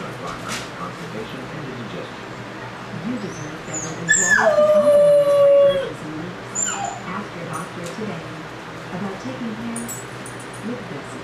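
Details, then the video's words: Puppy left alone for the first time after its owners walk out: a single clear howl that starts high, drops sharply and holds a steady lower tone for nearly two seconds, followed by soft whimpers over a faint background murmur. "The Puppy's First Howl During The First Time Ever Left Alone"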